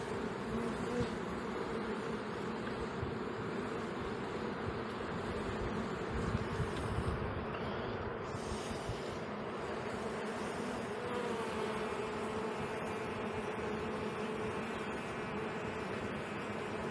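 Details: Western honey bee colony at an early spring hive inspection on 22 March, bees humming as if calling out, taken by the beekeeper as a sign of a queenless hive with young bees present; a continuous low, dense drone throughout.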